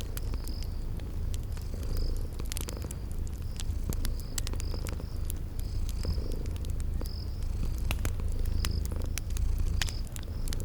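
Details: Sleeping kitties purring beside a crackling fireplace in a spring garden setting: a soft rolling low drone rising and falling, dense crackle snaps from the fire, and brief high cricket chirps recurring roughly each second.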